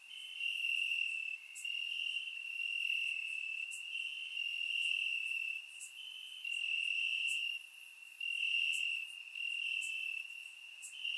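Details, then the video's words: Crickets chirping in grass on a warm summer night in Bulgaria, captured with a surround microphone: a steady high-pitched trill in long pulsing bursts with brief dips, plus faint sharper ticks above. "Cricket Sounds - Crickets Chirping at Night"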